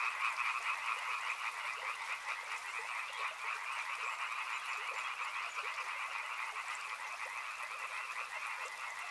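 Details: Continuous croaking of numerous frogs by a river, rapid pulsed calls overlapping in two steady pitch bands, loudest at the start and then holding level, over a quiet hiss.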